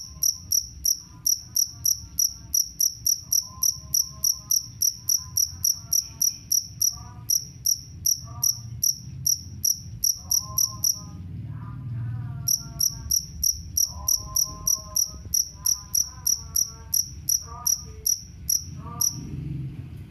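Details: Jangkrik kalung cricket, touted as a rat deterrent, chirping shrilly about three times a second with a pause midway, while lower, wavering bleat-like animal calls and background murmur sound intermittently beneath it.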